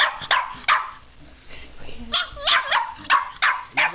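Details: Short, insistent barks from a puppy upset that a fake alligator head has its teddy bear, coming in quick irregular bursts with some higher yelping edges, alongside a voice speaking.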